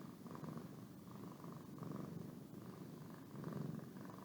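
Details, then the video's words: Boo, a pet cat, purrs while yawning; a loud close rumbling purr swelling and fading with each breath, about every second, nothing else audible. "My Cat Boo Purring And Yawning"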